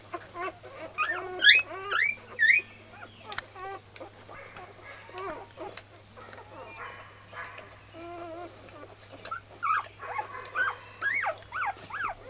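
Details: Five-day-old Golden Retriever puppies at morning feeding time: high, squeaky rising whimpers in short bursts, clustered early and again near the end, with softer grunting squeals between over a steady low hum.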